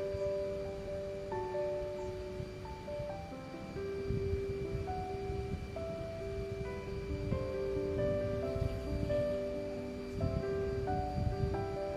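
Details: Gentle mallet-percussion melody like a glockenspiel rings over a soft rustling background, and no animal calls stand out.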